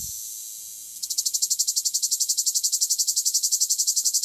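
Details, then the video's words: Male cicada from southern France: a steady high hiss that after about a second breaks into a rapid, regular pulsing buzz, rising slightly in strength. "Cicada singing"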